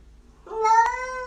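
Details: Pet cat at home giving a single clear meow that rises then holds steady with strong harmonics, after a person tells it it cannot get out yet; quiet room.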